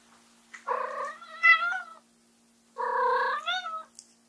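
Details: White female Munchkin cat Ram, short-legged with upright ears, meows loudly indoors to bring her owner back after they step out; two long, strongly harmonic wails with a rising bend near the end, separated by a brief quiet gap.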